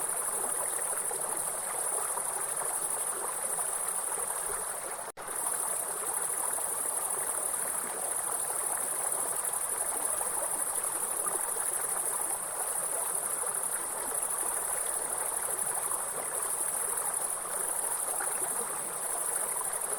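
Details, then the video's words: Forest grasshoppers give a continuous high-pitched buzzing drone next to a waterfall stream. The tone holds level for the whole stretch, cut by one momentary dropout near five seconds, while rushing water hisses beneath. "Real forest and grasshopper sound with soothing waterfall sound"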